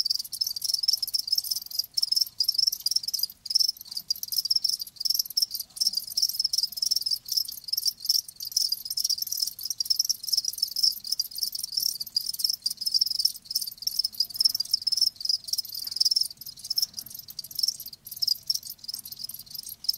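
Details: Crickets kept live, chirping in a thick, unbroken high-pitched chorus, rapid pulsed trills layered over one another with only momentary dips.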